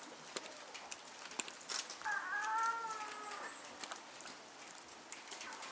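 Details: Captive female snow leopard at Asahiyama Zoo, Japan, in November 2019, calling from an overhang to her cub born that July; a single drawn-out, slightly wavering tonal moan lasting over a second, with visitors chatting in the background.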